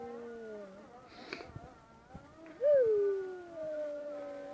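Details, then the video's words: Dog in Çiçeklidere howling while the call to prayer sounds, after faint wavering tones: a sudden loud howl that swells up, bends over and slides down into a sustained lower note lasting about two seconds. "Ezan Okunurken Köpeğin Uluması"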